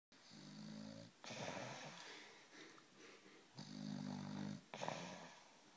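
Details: A dog asleep on a sofa, snoring: rough, rasping breaths, each about a second long, with low droning tones on some inhalations, repeating in an irregular rhythm in a quiet indoor room.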